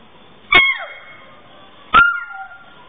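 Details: Canela, a pet dog who learned to climb the stairs but cannot get back down, gives two sharp, high yelping barks about one and a half seconds apart, each sliding downward in pitch, indoors in a small room.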